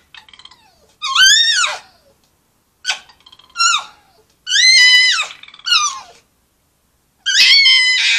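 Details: Foxes in Polegate trading screams in a back-and-forth chitchat: sharp, high, wailing squeals that arch up and then drop, in four separate bursts spaced by short silences, some doubled.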